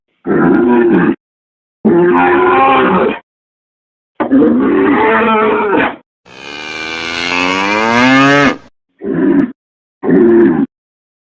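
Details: Cattle mooing: a chopped series of hoarse, nasal moos separated by abrupt silences, with one longer, brighter bellow rising and wavering in the middle before the short rough calls resume.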